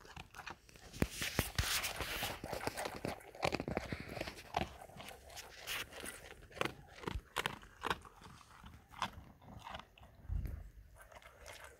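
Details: German Shepherd dog eating food: dense, irregular crunching and biting, sharp dry clicks and crackles in quick clusters, with louder bursts early on and softer munching toward the end.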